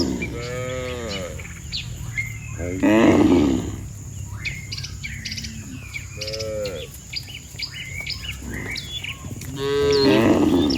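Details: Dozens of cattle lined up on a road, mooing as if calling the herd home to the pen; several long, deep, harmonic moos come one after another, with small birds chirping between them.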